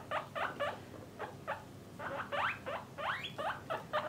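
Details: Caged pet guinea pigs from a parent-and-offspring group, separated by sex, utter quieter rising and bent squeaks, some with upward-sliding tails, in uneven bursts over a low background rumble.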